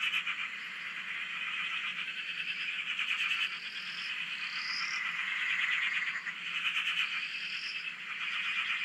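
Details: Chorus of frogs at a dam in Australia, recorded from a shack: constant dense rattling croaks with the volume rising and falling, plus brief upslurred whistle notes repeating every second or two.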